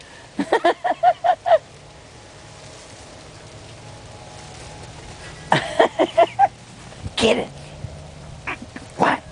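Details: Aggie, a Yorkshire Terrier puppy, plays in the snow, giving quick bursts of short, high, nasal yaps in a rapid run, then scattered single yaps later. A person talks and laughs in between.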